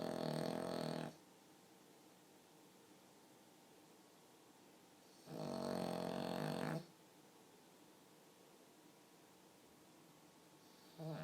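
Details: Human-sounding snoring from a pug, with loud, buzzy, rattling inhalations of about one to one and a half seconds, separated by roughly four seconds of near silence. A third snore begins at the end.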